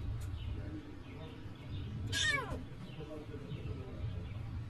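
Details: Homeless baby cat being rescued gives a single short, falling meow midway, over steady low rumbling background noise.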